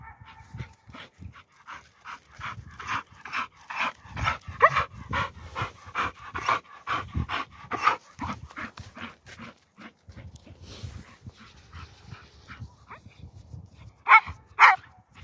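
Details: Aspid, a young Standard Bull Terrier out on a countryside walk, pants rapidly and steadily, about two breaths a second, for most of the stretch; two sharp louder barks break in near the end.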